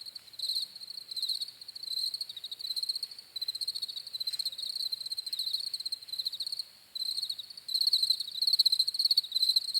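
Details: Crickets trilling in bursts repeated about one and a half times a second, softer at first and louder toward the end, with a brief lull before the final swell.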